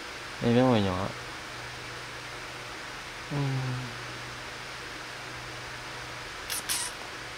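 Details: Kittens at play and feeding give a loud wavering harmonic meow, then a softer falling mew about three seconds later; a low steady hum runs throughout, with a short high clatter near the end.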